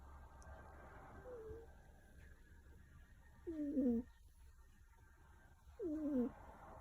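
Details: Kuro, a black cat sleeping with a naturally blocked nose, snores in human-like fashion: nasal, whistled tones that bend up and down, sounding with each breath roughly every two to three seconds over a faint hiss.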